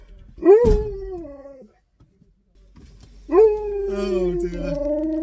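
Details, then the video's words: Siberian Husky at Christmas, calling on its best friend, gives two howls separated by a silent pause. The first rises sharply and then falls away. The second holds a long level tone, with a lower voice briefly underneath. "Husky Calls On Best Friend At Christmas"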